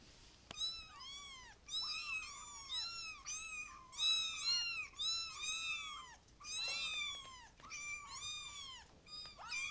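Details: Several kittens calling together, a dense run of high, arching mews that rise then fall, overlapping almost continuously with short gaps around the sixth second.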